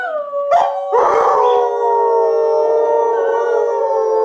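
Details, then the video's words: Group howling by three pet Alaskan Malamutes, Sojou, Fish and Dotty, with a younger howler; a falling opening note, a short burst of rough yips, then a long steady multi-voiced howl. "Next Generation Howling"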